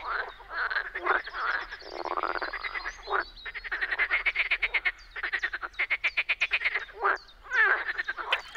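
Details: Frogs in spring in the Czech Republic give nearly continuous rattling croaks, fast pulse trains running together with only brief gaps, several animals calling at once.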